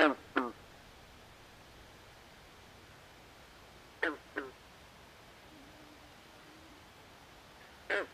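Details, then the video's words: Frogs calling at night in a swamp: short, nasal, quacking notes, mostly in pairs, with long quiet gaps between them over a faint hiss. "Natural Ambient Sounds Of Frogs At Night"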